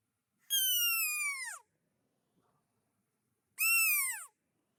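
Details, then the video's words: Red fox calling at night in a forest, somewhere nearby up the slope: two clear, drawn-out descending wails of about a second each, three seconds apart, with near silence around them. "ça c'est le cri du renard."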